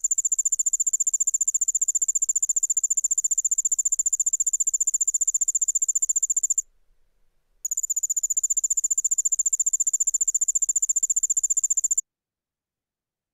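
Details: Allard's ground cricket (Allonemobius allardi), a Midwest singing insect, gives a high, rapid, steady trill, broken once, then resumes; typical songs followed by songs given as males interact.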